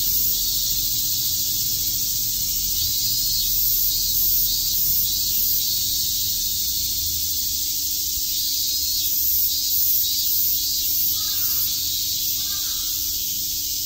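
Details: Shrill, constant cicada chirping on a summer day in Tokyo's Shakujii Park, the high whir pulsing slightly, with two short, lower bird calls late on and a low background rumble.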